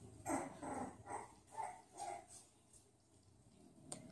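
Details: Series of five short, high-pitched yips from Bulldog puppies, spaced roughly every half second and fading out after two seconds. A single faint click comes near the end.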